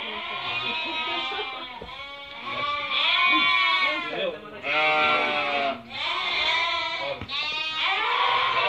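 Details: Flock of Merino sheep being picked over by a buyer from Türkiye, stock offered from Hungary. Dense chorus of quavering, nasal bleats overlapping almost nonstop, with brief dips between loud stretches.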